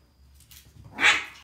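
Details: A male Toy Poodle puppy from a breeder gives one short, sharp, high-pitched bark after a moment of quiet.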